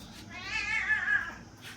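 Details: Indoor pet cat giving her "ghost" meow for her human, a loud, swelling, slightly wavering wail that rises then trails off, about a second long, followed by a woman's soothing voice.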